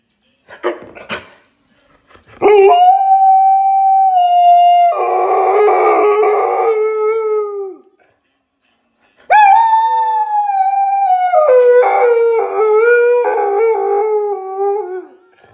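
An Alaskan Malamute howls in long, wavering tones that slide down in pitch.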